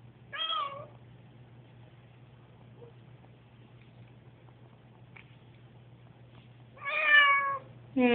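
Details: On a noisy moving day, Susie, an anxious pet cat, lets out a short meow, then a long pause over a low hum, then a louder drawn meow and the start of another.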